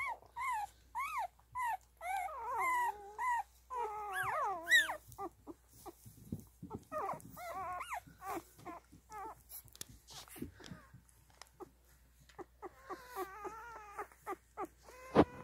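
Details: Newborn Standard Poodle puppies nursing indoors give high, wavering whines in quick bursts, several per second at first, then scattered squeaks and soft suckling clicks, with a brief chorus of overlapping whimpers near the end.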